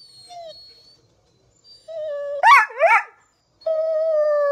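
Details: Pit Bull excited by squirrels on TV, with steady, level howled tones broken by two quick rising-and-falling yelps, then a long sustained flat howl.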